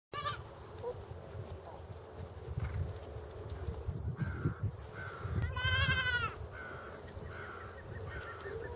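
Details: Pygmy goat kid, one of several born late December 2014 to January 2021, at Walter Zoo, Switzerland, on 26 February 2015, crying while walking and looking around, possibly seeking its mother; one loud nasal wavering bleat, a few fainter ones, low rumbling background.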